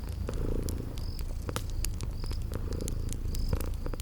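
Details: Low, even purring of sleeping kitties beside a crackling fireplace, spring garden ambience adding brief high chirps every second or so between scattered sharp crackles.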